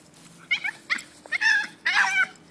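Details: A Jack Russell Terrier spotting a squirrel, going nuts at it, lets out high, strained whines and short yelps in quick, wavering bursts that grow longer toward the end, over a faint steady hum.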